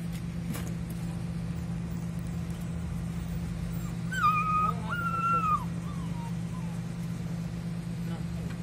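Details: Puppies at a construction site: a high, drawn-out whimper rises and holds for about a second and a half, then a second steady whine tapers downward, all over a constant low engine drone.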